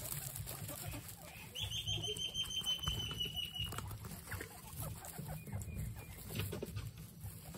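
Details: Excited pet guinea pigs: a long, thin whistled squeal that slides slightly downward for about two seconds, followed later by a brief fainter whistle, over low rumbling and rapid rustling clicks.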